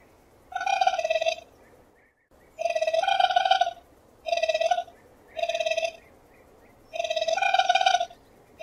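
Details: Raccoon giving repeated throbbing, harmonic trills in bursts of roughly half a second to a second, with gaps of about one second, and soft chirps in the quiet spaces between bursts.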